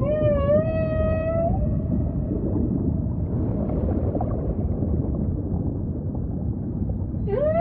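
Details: Ocean ambience carrying humpback whale song: a long, slightly rising tonal moan with strong harmonics opens, a stretch of low rumbling follows, and a sharp upward sweep closes.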